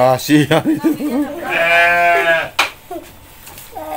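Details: Goat bleating as a boy invites his mother to feed the goats. A burst of speech comes first, then a steady, buzzy bleat of about one second, rich in harmonics, followed by more faint talking.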